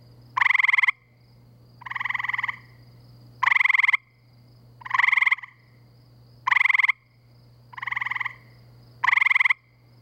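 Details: Gray treefrogs by a pool near woods and wetlands in Framingham, Massachusetts, in spring at night give short, musical pulsed trills, each about half a second, repeated every second or two.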